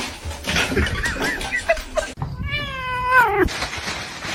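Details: Domestic cat giving one drawn-out meow about a second long, clear harmonics sliding gently downward at the end, after a stretch of muffled indoor noise.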